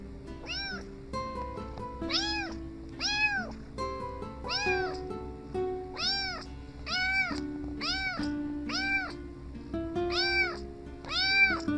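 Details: Kittens meowing in a steady series of about ten arched, high, harmonic-rich meows, roughly one per second, over a continuous musical backing.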